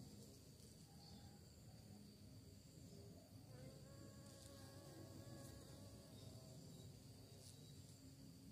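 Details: Bee hunting for prey, giving a soft continuous hum that grows slightly stronger in the second half, with faint wavering overtones and occasional high ticks over background hiss.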